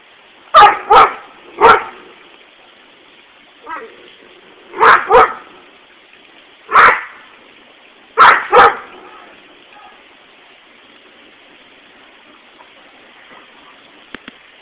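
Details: Dog barking nonstop at a lawnmower: loud, sharp barks in quick pairs and single shots, about eight in the first nine seconds, then a steady background hum with a couple of faint clicks.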